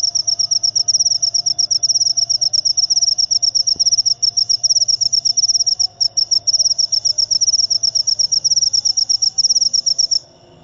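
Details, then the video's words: Jangkrik upo, a cricket, trilling in quick, regular high-pitched pulses with a couple of tiny hitches. The sound cuts off shortly before the end, leaving a faint low background hum. "Jangkrik upo"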